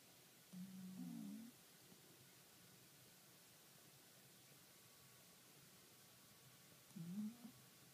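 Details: Kuro, a sleeping cat, recorded 28 April 2013: two low, humming snore breaths, the first lasting about a second and the second shorter, about six seconds apart in a quiet room.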